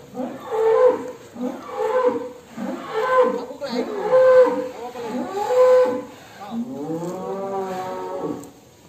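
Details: Agitated jumbo cow leaving its pen, a series of short strained bellows about one per second, then a longer drawn-out moo with steady pitch at the end.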